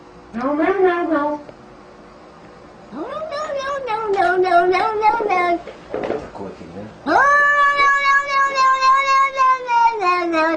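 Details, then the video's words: Domestic cat giving long, loud, drawn-out meows, each rising then held and falling slightly, three calls over about ten seconds with rich harmonic tone and a quiet gap between the first two. "Funny cats compilation!!!"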